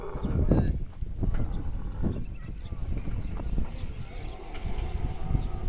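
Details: Camel crying loudly, a continuous low throaty grumbling and gurgling that rolls on without a break, rising and falling in loudness over several seconds.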